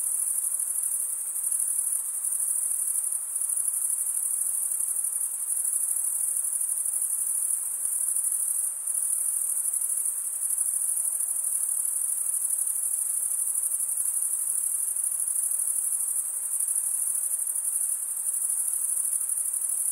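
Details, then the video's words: Stridulating male crickets fill the air with a constant, very high ringing trill, wings rubbed tooth against edge; a few short drops in loudness break the otherwise seamless chorus, faint hiss beneath. "Most relaxing cricket sound for 8 hours"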